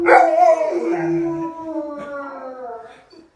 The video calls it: Golden Retrievers howling